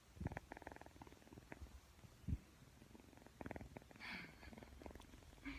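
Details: Persian cat kitten purring as it plays with a camera, a low pulsing rumble in rhythmic bursts, with a couple of soft knocks and a brief higher squeak toward the end.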